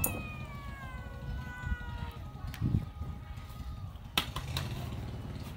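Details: A playful kitten with a girl gives a drawn-out, thin meow that slides gently downward over the first two seconds. Low rumbling room noise runs underneath, and sharp knocks follow later.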